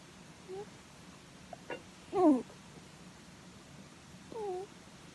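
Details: Sleeping rabbit stroked on the head makes contented 'puu puu' snoring noises: a few brief nasal squeaks, one louder downward-sliding cry in the middle, and a fainter falling squeak near the end, in a quiet room.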